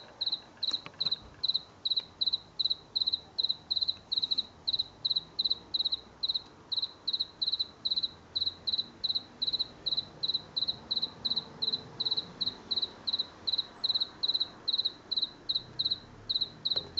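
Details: A house cricket singing at night in a garden in late September 2022, where it sang from late August through September, unseen. It gives a steady run of short, high, shrill chirps, about three each second, with no other clear sounds.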